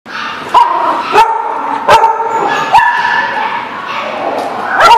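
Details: Dog barking, recorded 23 October 2017: sharp, clipped barks roughly every 0.7 seconds over a steady, tonal whining background.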